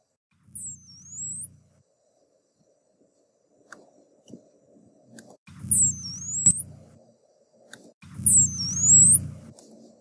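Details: A dolphin, the third of several dolphins whose whistles are compared in a classroom lesson, gives three high, curving whistles that swoop down and back up, each with a low rumble beneath.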